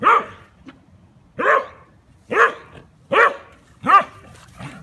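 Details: German Pinscher named Rooney playing and tormenting his Rat Terrier companion Beebee; five short, harmonic yelping barks spaced about a second apart, each sharp and rising then falling, with quiet gaps between.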